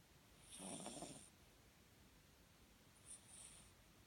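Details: Foster Papillon dog asleep and dreaming, ears and paws twitching, snoring indoors: one long rasping, breathy snore lasting nearly a second, then a shorter, softer snore about two seconds later, with quiet room background between.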